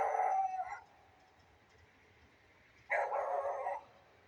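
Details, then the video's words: Beagle barking in the rain today: two drawn-out, strained barks nearly a second long, separated by a two-second gap filled with rain hiss. "beagle dog barking in the rain"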